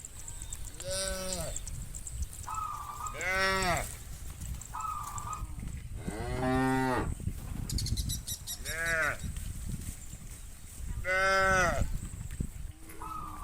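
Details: Hundreds of tame herd cows grazing a green countryside field in the afternoon as bulls call the herd to return to the farm pen: about seven overlapping moos of varied length and pitch, with brief steady tones and clattering.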